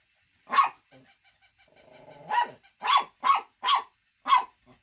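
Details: Shih Tzu gives one sharp bark, then a soft train of rapid ticking pulses, then five loud, harsh barks in quick succession.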